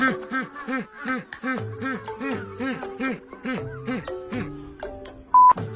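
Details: Electronic music with bouncing, arched synth tones and short beeps, with no animal sound anywhere.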